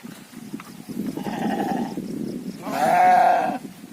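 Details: Domestic gibas sheep kept for meat: a softer, muffled bleat gives way to a louder, quavering bleat near the end, over a low background murmur and clatter.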